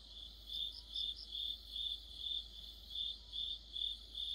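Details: Crickets chorusing in autumn, as part of an insect orchestra: a steady high chirp pulsing about twice a second, each pulse a short trill, with fainter overlapping chirps from other insects behind.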